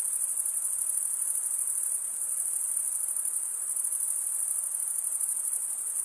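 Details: Steady chorus of chirping crickets, wing-on-wing stridulation producing a piercing, unvarying high trill that fills the whole stretch evenly.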